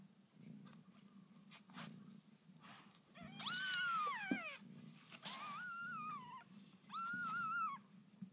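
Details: Newborn kittens of a house cat named Lucy, indoors: three thin, high mews, the first arching up then sliding down, the next two held fairly level and falling slightly at the end, over a steady low pulsing rumble.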